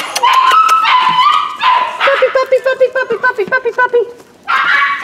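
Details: Young rescue dogs described as a possible Corgi Airedale mix: drawn-out high whines followed by a rapid series of about a dozen short yips, a brief pause, then more whining.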